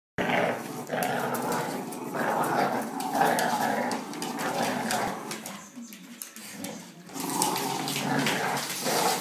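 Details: Bullador, a medium-to-large Labrador and English Bulldog cross, giving rough, drawn-out growling vocalisations indoors. The sound is sustained with brief pauses, dips near six seconds, then resumes strongly.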